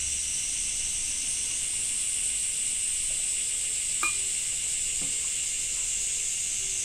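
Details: Summer cicadas in Japan buzz in a dense, sustained, sizzling chorus. A few soft taps and one sharper click sound in the second half.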